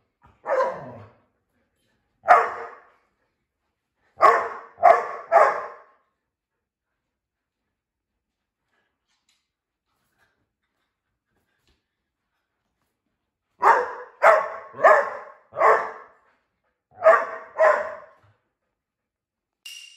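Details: A 25 kg Australian Shepherd, born 12 November 2018, barks while its loudness is measured with a noise meter: short, sharp bursts, loosely spaced, with a long quiet gap between two runs.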